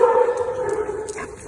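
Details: Gray and Ozzie, two dogs at play, give one drawn-out tonal whine that slides slowly downward and fades over a second and a half.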